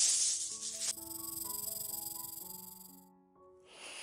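A snake's breathy, sharp hiss, broken up by a short run of bright musical notes.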